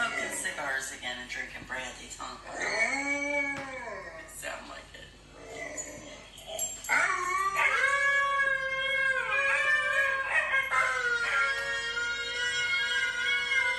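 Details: Three-month-old Alaskan Malamute puppy named Archie, son of Zack, from Benigna Kennel in Indonesia, kept as a pet. Rising and falling drawn-out howls and whimpers, long tonal notes with harmonics, with human voices in between.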